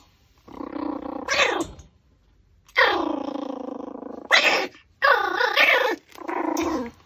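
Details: While chewing a raw pork backbone, a Pomeranian lets out four long, strained whining cries, each opening with a harsh bright burst before settling into a steady, slightly falling tone.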